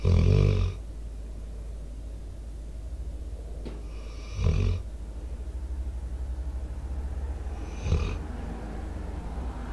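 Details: Debo, a four-year-old American Staffordshire Terrier/Pitbull, snoring in sleep into a microphone. Three raspy snores about four seconds apart, the first loudest, with a faint click and a low hum underneath.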